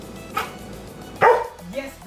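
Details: A Golden Retriever gives a single loud, sharp bark on the "speak" command during speak-and-quiet training, after a softer earlier woof.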